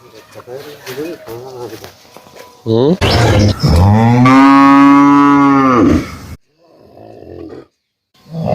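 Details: Cow lowing in one drawn-out, loud moo lasting about three seconds, with a rising then falling tone, after a softer, lower rumbling call; brief quieter sounds close the recording.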